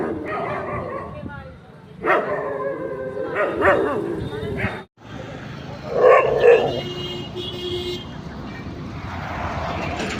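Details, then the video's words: Night barking from street dogs: several rough, harmonic barks in uneven clusters, followed by a louder double bark and a fading noisy tail. "Street dogs barking at night"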